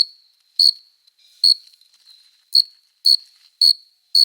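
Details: Male cricket courtship song on a summer night, made by rubbing the forewings to attract a female: sharp, high chirps with bright overtones, about seven in four seconds at uneven spacing, with a faint steady tone between them.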